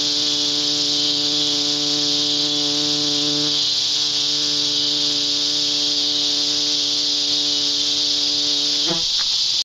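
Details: Cicada in flight producing a long, steady, intense hissing drone with an underlying low hum; near the end the hum breaks off abruptly and the buzz wavers.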